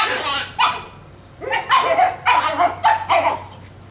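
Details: Shiba Inu puppies tussling over a bone let out a rapid series of loud, strained yelping screams, about four per second after a brief pause, sounding strange and fox-like.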